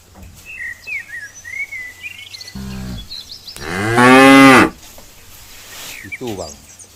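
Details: Cow that has just given birth, at Sigeudok Hill in Lamteuba: one long, loud, drawn-out moo with a rough rising-then-falling tone, a shorter low grunt before it, a brief call after, and birdsong in the background.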